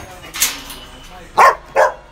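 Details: A newly bought Rottweiler at its new kennel barks in short, sharp bursts: one single bark, a pause of about a second, then two quick barks close together against a quiet background hum.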